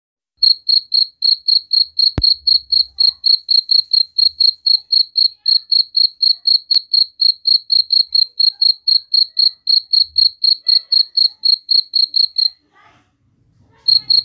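A cricket chirps steadily, a high shrill pulse repeating about four times a second.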